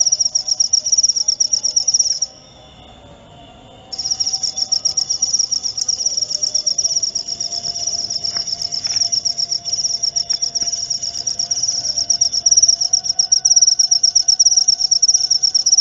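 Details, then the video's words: Shrill high cricket trill in fast pulses, stopping abruptly for about two seconds near the start, then resuming and continuing steadily, with a couple of faint clicks in the background. "Suara Jangkrik"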